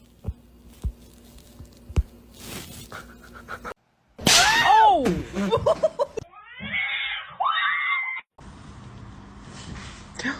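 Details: Domestic cat in a funny-cats compilation, giving loud, strained, arching meows that rise and fall in quick succession, then a higher wavering cry, between abrupt cuts with faint clicks and quiet background noise.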